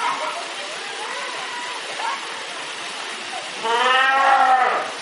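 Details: Fur seals making noise while swimming in a pool: soft murmuring background, then one loud, drawn-out bleating call lasting about a second.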